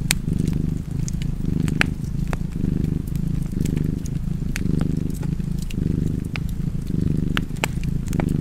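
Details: A cat purrs close by in a low, continuous rumble that rises and falls in breath-length pulses, nearly once per second, against scattered snapping crackles from a fire.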